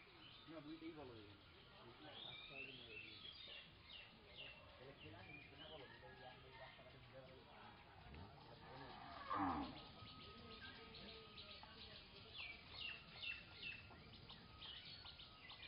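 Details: Village cattle resting under a tree. A loud drawn-out moo rises and falls near the middle. Fainter low harmonic lowing comes earlier, with birds chirping and twittering throughout.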